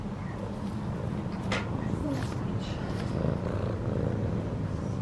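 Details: A purring domestic cat is petted in a yard while Christmas lights are being hung outside; a soft, constant low rumble carries through, broken by a brief sharp rustle and faint voices nearby.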